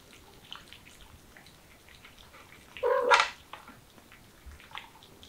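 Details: Mother cat with her kittens, a single short meow rising into a loud harmonic cry near the middle, with faint soft chirps and rustling before and after in an otherwise quiet indoor-like setting.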